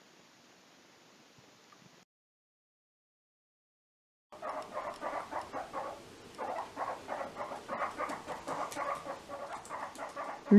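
A guinea pig gives rapid, soft rhythmic squeaks while moving about, relaxed and curious.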